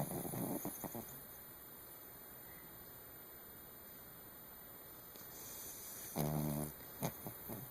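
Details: Sleeping Chihuahua Pomeranian mix named Charlie, a male pet, snores in a dark room: a rough snore at the start, a long quiet stretch, then a buzzy, pulsed snore near the end with faint clicks.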